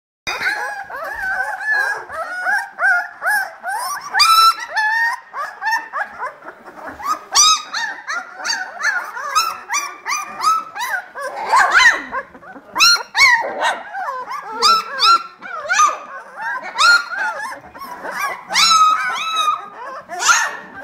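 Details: Litter of 18-day-old vizsla puppies from a Czech kennel, litter B, filling the whole stretch with overlapping high, arching squeals and whimpers, many pups crying at once with barely a pause.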